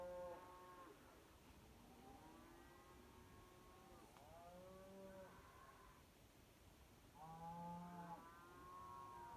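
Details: Cows calling at night near Kyneton, 26 May 2023, several overlapping long drawn-out moos with rising and falling harmonic tones, one after another, over steady background hiss.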